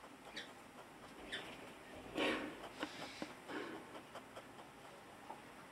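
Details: A hedgehog snorts in short, breathy, irregular puffs, with one louder huff near the middle; such snorting is described as a healthy sign.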